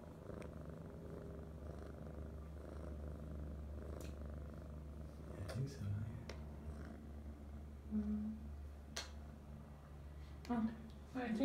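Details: Derek, a Siamese kitten up for adoption, purring while held: a low steady rumbling throughout, with a person speaking softly and handling noises over it.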